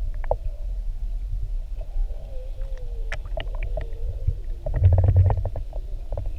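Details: Whale recorded underwater with a GoPro off Maui while whale watching; a drawn-out, wavering mid-pitched moan glides up and down for a couple of seconds, over a low rumble of water and boat noise and scattered clicks and crackles.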